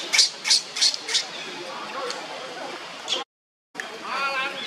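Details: Leo, a young monkey, cries on the ground as Libby torments him: four loud, shrill screeching bursts in quick succession, then quieter rustling, a brief silence and a softer wavering whine.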